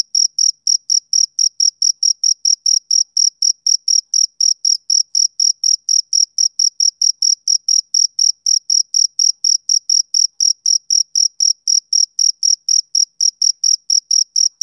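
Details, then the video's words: Rhythmic high-pitched chirps from a male cricket, summer evening, evenly spaced short pulses repeating quickly and without break across the stretch, clean background with nothing else audible. "Cricket Chirping Sound Effect"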